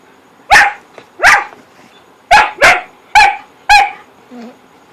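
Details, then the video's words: Whippets playing in the dark give six sharp barks in under four seconds, each a bright burst with a clear harmonic stack and a slight downward slide, spaced roughly half a second to a second apart, ending with a soft low grunt; quiet background. "Whippets playing in the dark & making funny noises"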